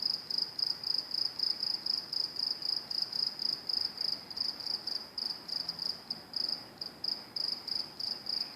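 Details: Crickets calling beside NJT train tracks: a steady high, shrill trill pulsing in quick regular bursts, about three to four per second, with faint low background rumble.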